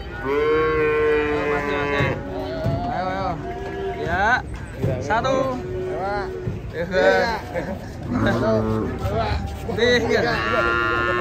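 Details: Raging, frightened cattle coming down from a truck on a Saturday: a loud drawn-out harmonic moo opens, then more bellows mixed with excited human shouting and voices throughout.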